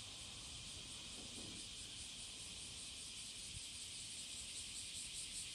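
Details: Cicada courtship song on the morning of July 30, 2017, at Passage de la Duee: a steady, hissing high-pitched drone with faint pulsing, continuous throughout, over soft low background rumble.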